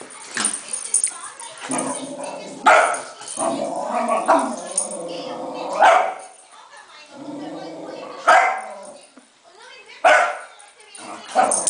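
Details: Cairn Terrier excited while playing with a balloon, giving sharp, loud single barks spaced every two to three seconds, with a person talking steadily in between.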